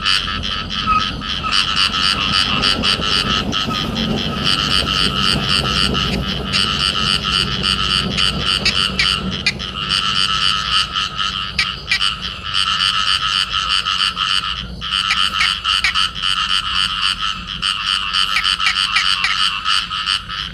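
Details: Field frogs in amplexus, a pair croaking continuously: dense rattling pulses at a quick steady rate with strong ringing overtones, a faint low rumble underneath, a brief break near the middle.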